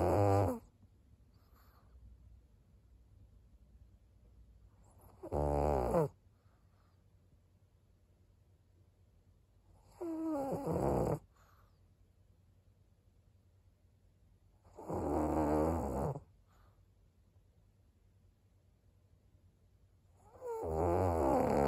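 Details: Maria, a senior 11-year-old fawn female pug from Japan, snoring while asleep: harsh rasping snores of about one second each return roughly every five seconds, with quiet breathing pauses between them in a still room.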